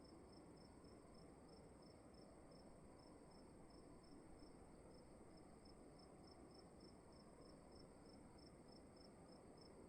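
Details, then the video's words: Steady cricket calling inside a room: a long run of regular, high-pitched chirps, roughly two or three per second, set against quiet low rumble and a thin constant whine. "Sound of emptiness and crickets in the room"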